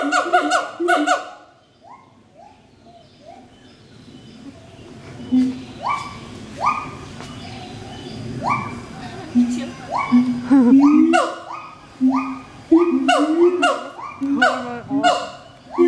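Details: A captive pair of siamangs (Symphalangus syndactylus) duets at Schmutzer Primate Center, Jakarta, Indonesia, at 11:32 AM on 20 April 2012, with loud harmonic hoots and rising whoops that speed into rapid barking notes.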